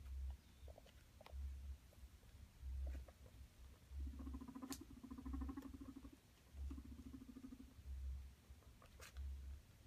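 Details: Male pet guinea pig trying to court two females, producing low rhythmic rumbles with a buzzy, purring chirr lasting about a second, repeated between soft pulses and light clicks.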